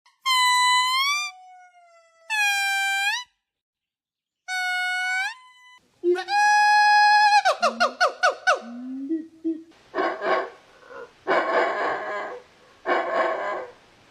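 A monkey gives clear, reedy wails, then a rapid stuttering series and harsh, noisy screeches.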